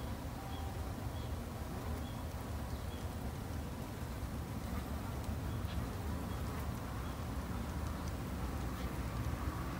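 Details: Garden-kept Japanese honey bees, tended by a two-month beginner beekeeper: a continuous deep droning buzz of many bees, plus small high peeps spaced about a second apart and some light rustling.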